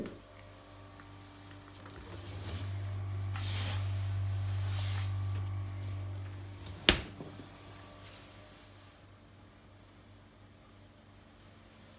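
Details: Indoors, a low steady hum runs throughout, with a swell of rustling noise around the middle and one sharp click near seven seconds, and no animal is heard.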